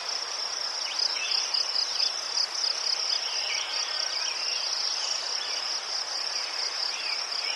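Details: Crickets near chrysanthemums in Ukraine give a high steady pulsed chirping, a sharper beat early on, then an even trill, with faint lower insect chirps alongside.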